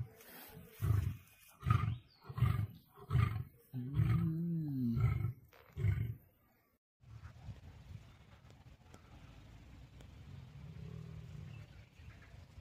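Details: Lion in a fight with a tiger: a series of deep, pulsed roaring grunts, about one per second, with a longer rising-then-falling roar near the middle, then a low rumbling background after a short pause.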